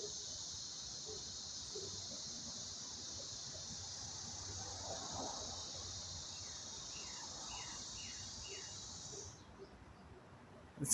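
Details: July cicada chorus early in summer: an even, high-pitched buzzing drone runs for about nine seconds and then cuts off abruptly, with short bird chirps near the end and a sharp handling noise at the close.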